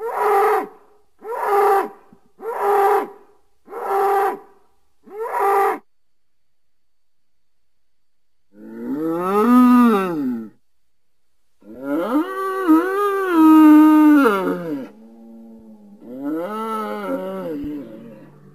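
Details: Bull giving a series of five short, evenly spaced harmonic calls, then a pause followed by longer, wavering moos with rising and falling pitch, the last ones broken into two parts.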